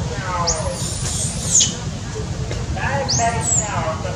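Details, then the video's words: Orphaned baby monkey crying with hunger: two high, drawn-out squeals that climb and arch before breaking off, each trailed by lower, sliding wavering tones, over a continuous low rumbling background. "Crying full clip, Poor baby monkey lost mom, Crying hungry need milk"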